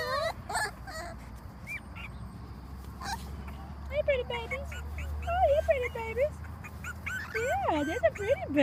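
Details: Dachshund mix puppies of a January 2014 litter, sired by a long-haired Dachshund, crying in many overlapping high wavering whimpers and squeals that rise and fall, nearly continuous, with soft human voices in the background.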